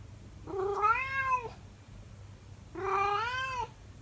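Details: Calico domestic cat singing to its owner indoors, two drawn-out harmonic meowing howls, each about a second long, rising then falling, separated by a short pause, with a low steady hum underneath.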